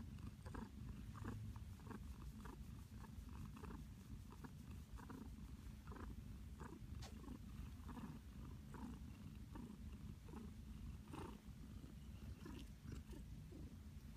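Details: Pet cat Flower lies happily in her blanket nest, giving a loud, continuous low purr pulsing in regular rhythmic waves, breath-timed surges about every half second, close and clear in a quiet room.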